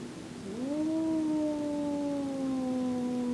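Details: Domestic cat Jack, who will not tolerate the cat Boots in his favorite room, gives a long, low, drawn-out yowl that rises at the start and then holds a steady, slightly sagging tone for about three seconds.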